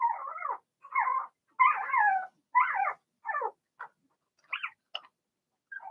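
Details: Blenheim Cavalier King Charles Spaniel puppies in an indoor pen while being potty trained. Clear, squeaky yelps and squeals sound about once a second, some bending upward, growing fainter and sparser toward the end.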